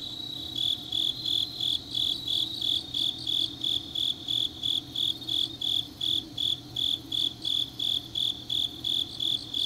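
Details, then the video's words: Grass insects on a deep autumn night in Changnyeong, South Gyeongsang, Korea: steady high chirps pulsing about three times a second, several callers overlapping, with a faint low hum beneath. "깊은밤 가을 풀벌레 소리"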